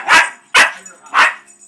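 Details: Pet puppy indoors barking at a carpet commercial on television whose soundtrack annoys him: three loud, sharp barks spaced about half a second apart, with a faint tone behind them.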